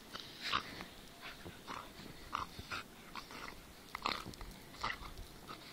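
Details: Tornjak puppy with a terrier, giving short high yips and whimpers at irregular intervals, with breathy sounds between them.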